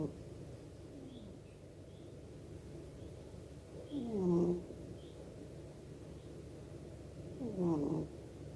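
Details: Sleeping domestic cat snoring quietly indoors: two soft, breathy snorts with a low rasping buzz, spaced about four seconds apart over a steady hum of room noise.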